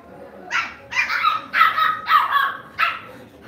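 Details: Pet Lhasa Apso barking indoors: five bright, yappy barks about half a second apart, some with a slight rising edge, over quiet background.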